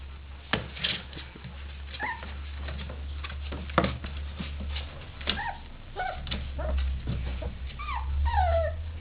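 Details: Three-week-old puppies from Sofia's third litter, newly staying awake to play, give high whimpering and yipping calls with falling tones, scattered among thumps and scuffling; steady low hum underneath.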